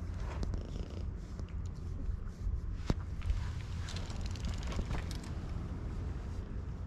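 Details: Community stray cat at a fishing port in Japan, sticking its tongue out, purrs with a low continuous rumble under outdoor noise and occasional clicks, filmed on a GoPro.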